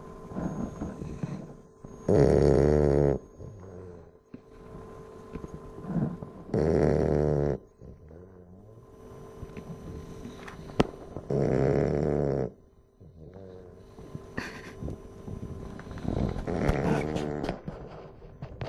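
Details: Tonka, a Bulldog, snoring: loud, rattling, harmonic-rich snores about a second long, repeated every four to five seconds, with softer wheezy breaths between them.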